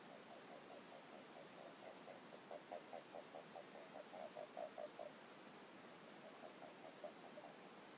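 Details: Many Japanese common toads gather at a garden pond at night in the breeding season, battling over mates; one gives a soft, rapid pulsed trill, a quick string of low notes.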